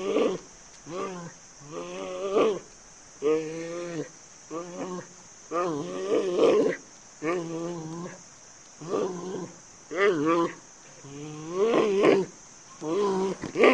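A giant panda gives a series of wavering, goat-like bleats, each about a second long.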